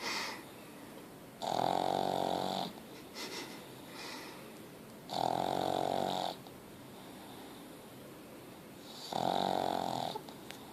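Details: Pug named Ozzy snoring heavily indoors, rated level 10: drawn-out nasal rattling snores lasting over a second, spaced about four seconds apart, separated by faint whistling exhales.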